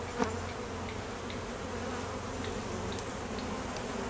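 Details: Honey bees at an apiary in peak summer honey flow, foragers busy and drones on midday mating flights; a steady low droning hum from many wings with a faint wavering tone, one brief tap near the start.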